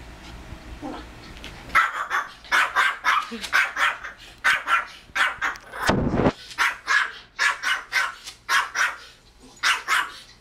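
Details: Pet Pomeranian named Kozmo barking at a Pomeranian on screen that is itself barking at a dog on TV. After a quiet start come rapid, sharp, high yaps in quick bursts, with a loud broad rushing noise near the middle.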